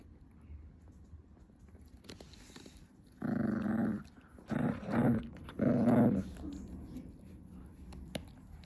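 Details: Small female Chihuahua chewing her favourite stick indoors at 2 AM, making strange noises: three low rumbling growls of about half a second to a second each, separated by short pauses, in a quiet room.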